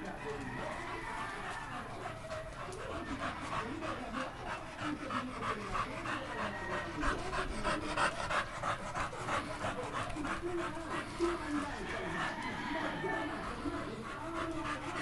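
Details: American Pit Bull Terrier panting in quick, steady breathy bursts, roughly three per second, through most of the clip, with faint voices and low background noise underneath.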